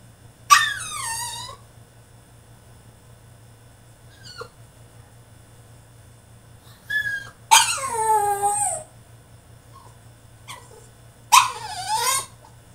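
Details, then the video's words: French Bulldog throwing a tantrum in his cage: three loud falling whining yelps, each about a second long, separated by quiet gaps with a few faint short squeaks. "FRENCH BULLDOG THROWS TANTRUM IN HIS CAGE!!"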